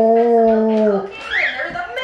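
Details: A 3-year-old Alaskan Malamute howls during children's story time, a steady, drawn-out howl that sags at the end, with voices behind.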